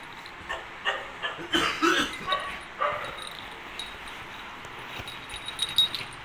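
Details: Two-month-old Miniature Pinscher puppy giving a quick run of short, high yips and squeaks over about two seconds, then quieter faint sounds against a soft background hiss.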